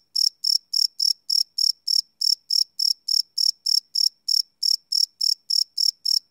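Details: Night chirping of crickets captured live on a Sony PCM D100 field recorder, no loops: a steady train of sharp, shrill pulses repeating about three times a second, each with a ringing high tone, in an otherwise silent background.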